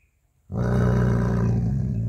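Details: Jacky the dog, defending his bone, breaks from silence into a loud, deep, continuous growl that holds steady to the end.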